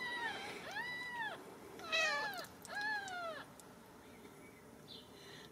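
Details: Ragdoll kittens at a home cattery in central Kansas: a series of thin, high kitten mews, arched and falling in pitch, three close together over about three seconds, then quieter room noise.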